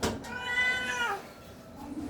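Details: Hungry pet cat calling for food, one long drawn-out meow rising then falling and fading after about a second, with a short click at the start.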